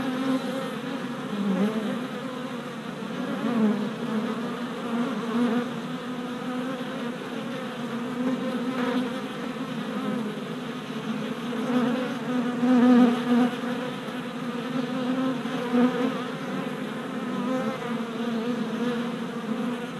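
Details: Orientation flights of worker honey bees at the entrance of a new deep hive, recorded in April; a thick, even hum of many wings that swells and fades slightly as bees circle close, steady throughout.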